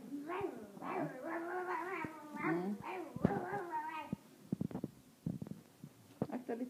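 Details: French bulldog puppies in rough play indoors give wavering, high whines and squeaky yelps in quick bursts, then short sharp yips, while a person talks softly over them.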